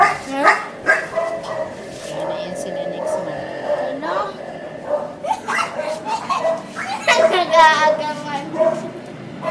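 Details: A first litter of male Labrador Retriever pups, five weeks old, let out scattered squeaky yips and small barks, with a bright rising whine near the end; human voices run underneath.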